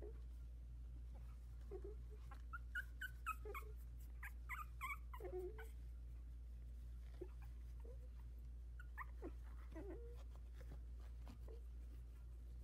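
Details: A litter of four Havanese puppies, 16 days old, newly walking about their whelping box. Short rising squeaks and whiny yelps arrive in clusters, separated by quiet gaps, against a constant low-pitched hum and light scuffling.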